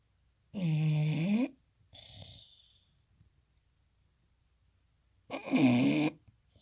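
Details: A Bulldog asleep in a small room gives two heavy, rattling snores several seconds apart, with a softer wheezy exhale after the first and near silence in the gap.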